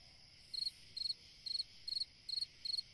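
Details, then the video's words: Cricket chirping on a summer night, six evenly spaced pulsed chirps about every 0.4 seconds, each a quick trill of several pulses, above a steady faint high hiss. "Chant d'un grillon dans une nuit d'été / Singing a cricket in a summer night"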